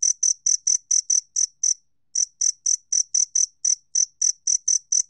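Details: Two-spotted cricket, recorded by the National Institute of Biological Resources in 2020, giving quick bright chirps about four per second, a short pause near the middle, then the same ringing pulses resuming; background otherwise silent.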